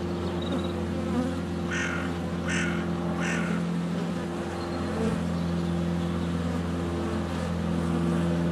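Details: Swarming honey bees at the hive entrance in February sunshine, close to a GoPro Hero 7 Black. A continuous low buzzing hum fills the recording, and three short harsh calls, likely from chickens, come in the first few seconds.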